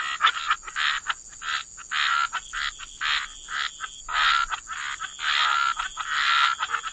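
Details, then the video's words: Frogs at the water's edge croaking in irregular rasping bursts, some short and some drawn out, roughly one per second, with a faint constant high hiss behind. "Frog Lullaby: Relax to the Sound of Croaking Frogs"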